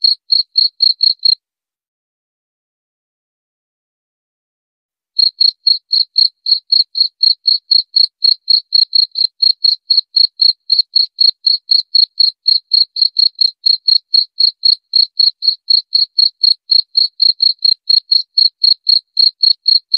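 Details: Cricket, used as a mouse repellent sound: a brief burst of quick high pulses, a pause of several seconds, then a long unbroken run of rapid, even chirps, about four per second.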